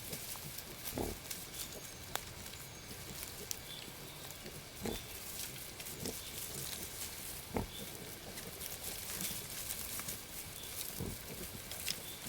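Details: Newborn wild boar piglets and their mother, who has just given birth to eight young for the first time, in the forest. Faint, brief grunting bursts recur every second or two beneath a hissy, rustling background.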